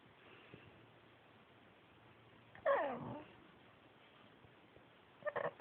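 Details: Yuyu, a male Pekingese adopted from a shelter, talking: a single short, bright vocal sound that slides downward, then a brief cluster of small grunting sounds near the end against quiet indoor background hiss.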